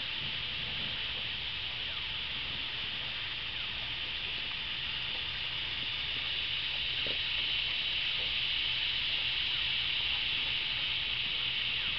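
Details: Steady broadband hiss fills the recording, loudest in the upper range, with no clear animal voice heard.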